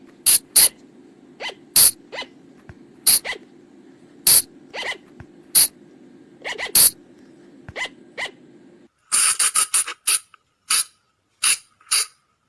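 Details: Sunda flying lemur (Thai bang, phung chong), a sound used to attract colugos at night: harsh, crisp bursts spaced about every second, then after a short pause a denser, scratchier series of calls in quieter surroundings.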